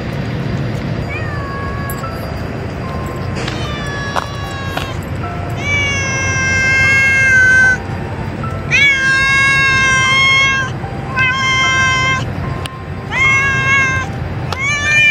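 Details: Colony of female cats growling at each other at feeding time, with repeated drawn-out, wavering tonal yowls of one to two seconds each, rising and falling, against steady low background noise.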